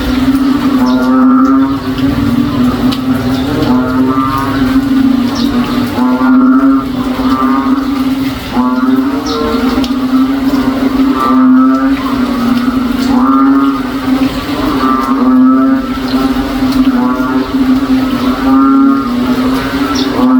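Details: On a rainy day in a backyard, frogs that call like cows all day during rain give deep, moaning, cow-like calls, repeated about every two seconds over a steady low hum.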